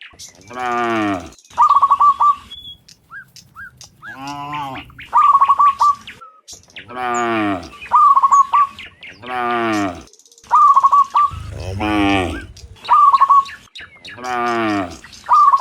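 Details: Dozens of cows walking home from the fields to the pen in the afternoon; deep, drawn-out moos about a second long repeat every few seconds, with short whistled bird chirps between them.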